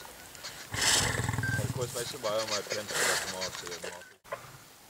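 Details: Three wild Mapogo male lions feeding on buffalo they caught in the western Sabi Sand, between July 2011 and March 2012; deep rasping growls and snarls in bursts over pulsed low rumbling, then a sudden break.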